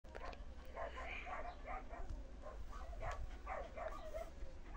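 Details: Active, playful young female Samoyed puppy giving a run of short, yappy barks and yips, several per second, with a faint low hum underneath.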